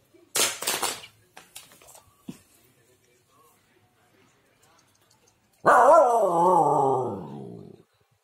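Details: Female Siberian Husky puppies indoors: a few bursts of noise and faint taps first, then a loud, drawn-out wavering howl-like cry lasting about two seconds, gliding down in pitch with a wobbling tone.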